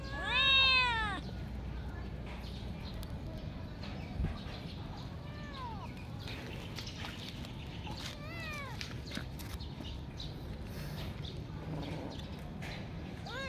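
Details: A kitten meows in a run of arched, rising-then-falling cries, a loud one at the start and softer repeated meows near four, six, eight and thirteen seconds, over a low steady background hum.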